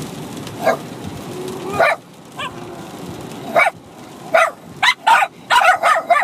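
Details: Bichon Frise dogs, a 6-month-old puppy and an adult, barking at each other while play-fighting; sparse sharp yips at first, then a quicker burst of high barks toward the end.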